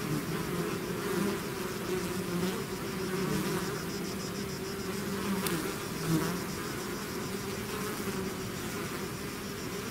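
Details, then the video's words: Natural buzzing of a bee swarm out of its hive: a dense, continuous drone of many insects, low hums shifting slightly in pitch as individuals fly nearer and farther over ten seconds. "bees therapy swarm natural buzzing sound"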